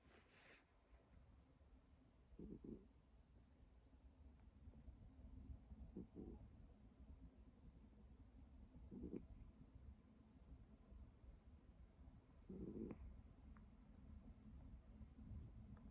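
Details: Sleeping cat snoring indoors: soft, low rumbling breaths with brief louder snorts roughly every three to four seconds, over a quiet steady background hum.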